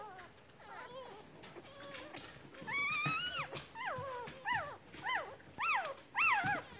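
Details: Newborn Miniature Poodle puppies, born February 2, 2016; drawn-out whines that climb and then drop, growing louder and closer together toward the end, over a soft background hiss.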